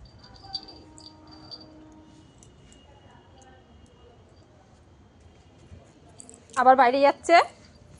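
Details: Cat waking in the morning, giving two loud, wavering meow-like calls in quick succession near the end, after a long quiet stretch with faint insect buzzing and a distant bird.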